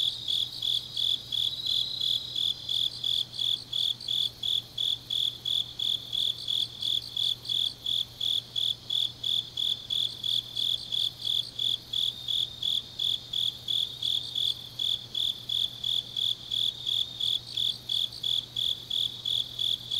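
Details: Deep-night autumn chorus of grass insects in Changnyeong, Gyeongnam: a continuous run of sharp, high chirps at close to three per second, other faint trills above, and a low constant hum.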